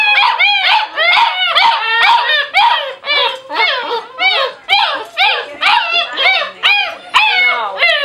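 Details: Future service-dog puppies indoors, a crowd of high, wavering yelps and whines piling over one another, swelling and dipping roughly twice a second.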